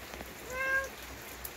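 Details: Kkang-i, a lonely rural stray cat, the neighbourhood boss that always roams alone, gives one short, soft, tonal meow of about a third of a second, level in pitch with clear overtones, over a steady faint hiss.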